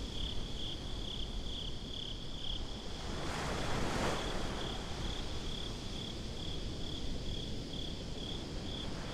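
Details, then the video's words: Crickets chirping at night on the beach, binaural: steady high pulsed chirps, nearly four a second, with a wave surging loudly around the middle and constant low surf and wind. "Crickets at the Beach"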